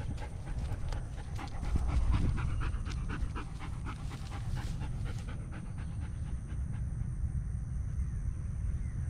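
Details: Buffy, a German Shepherd dog, curious about a turtle met on a morning walk, pants in quick breathy pulses about four per second for roughly five seconds before easing off, over a steady low outdoor rumble.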